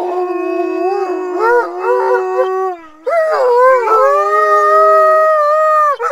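An Alaskan Malamute howls in long, wavering tones that rise and bend with a rich, harmonic quality.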